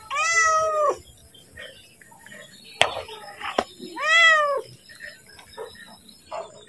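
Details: Domestic cat calling for its food before being fed: two clear, arched meows about four seconds apart, with low voices and handling noises in between.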